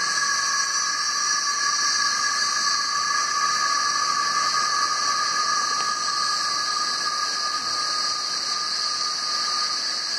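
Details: Cicadas crowding the trees, the males singing to attract mates, make a loud, constant electric-sounding whine layered over a high sizzling hiss, unchanging across the whole stretch.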